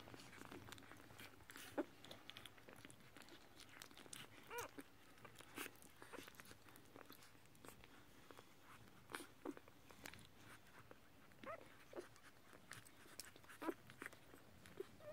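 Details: Two-day-old Whippet puppies, born 1 May 2018, nurse with soft wet suckling clicks and smacks and a few faint, high little squeaks.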